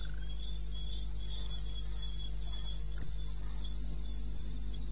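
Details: Night cricket in eastern Botswana wilderness, recorded 21 May at 2:30 am, giving fast, even high-pitched chirps close to four per second, over a steady low droning hum.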